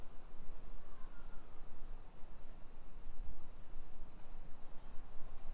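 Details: Afternoon summer cicadas near Nagoya, Japan, in July 2021 keep up an unvarying high, sizzling drone throughout, over a low, steady rumble from the residential street.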